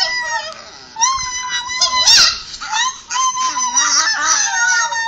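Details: A Chihuahua dog, indoors, vocalizing while watching a recording of his own 'i love you' talking, with a sister dog present; drawn-out, wavering howl-like yowls with rising and falling pitch, in several separate phrases.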